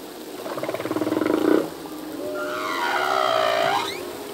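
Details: Male humpback whale singing underwater, part of a full-length song whose phrases change each year: a pulsed, buzzy moan swelling for a second and a half, then a long tonal wail sliding and ending in a rising upsweep.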